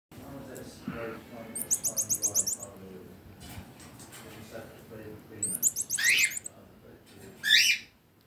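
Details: Marmoset monkey calling; very high, rapid twittering trills in short bursts, three bouts spread over eight seconds, the last a sharp rising squeal, with a soft lower chattering murmur in the background.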